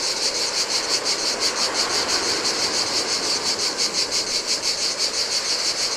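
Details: By the turquoise Adriatic on an empty Greek island beach, cicadas sing in the heat: an intense, throbbing high-pitched buzz in quick even pulses, about three each second, layered over rolling surf.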